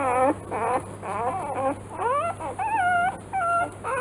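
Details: Three-day-old newborn Rottweiler puppies in a litter whimper and squeal in short, rising and falling cries over a low hum.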